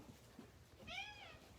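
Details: A male shelter cat gives a single clear, rising-then-falling meow, calling for treats and his favourite person.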